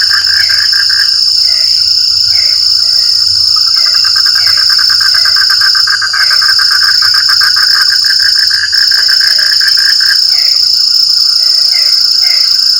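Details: Frog chorus in rain: short, low croaks repeat irregularly, scattered through the stretch over a fast pulsing chatter, beneath a loud, unbroken high-pitched insect hum.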